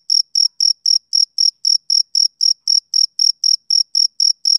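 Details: Rhythmic, shrill chirps from a male cricket on a summer evening, about eighteen short pulses in under five seconds, each crisp and high with a faint upper echo tone; nothing else audible.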